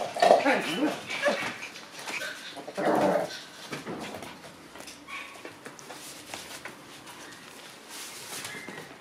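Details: Lively Shiba Inu puppies from a pack of pups: wavering, bending whines and short yelps crowd the opening seconds, a second burst near three seconds. Then quieter scuffling, a human voice mixed in throughout.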